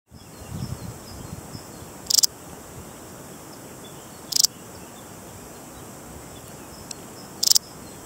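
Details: A Balearic saddle bush-cricket (Parasteropleurus balearicus), a large bush-cricket endemic to the Balearic Islands, gives brief, high, scratchy chirps spaced a few seconds apart.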